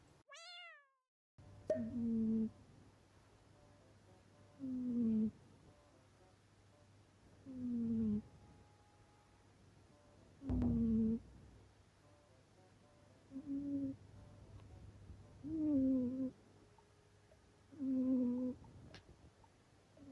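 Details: Male Scottish Fold cat talking in its sleep, giving soft, nasal, meow-like murmurs with a falling pitch, repeated about every two to three seconds in a quiet indoor room, over a faint low steady hum.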